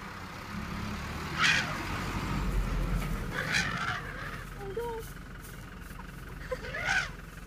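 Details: In Kruger, a baby African elephant flares up at car noises with brief, brassy trumpeting blasts over a steady low engine rumble, then goes back to its family.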